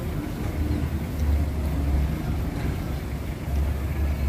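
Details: Steady low engine-like rumble with a deep droning hum and no animal voices.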